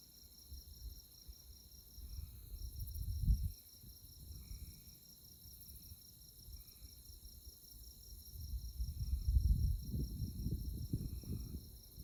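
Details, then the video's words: Night insect chorus under moonlight in Kansas tallgrass prairie at Konza Prairie near Manhattan: continuous high pulsing chirps with a brief break near two and a half seconds, while wind surges in low rumbling gusts. "Insect Chirping Sounds"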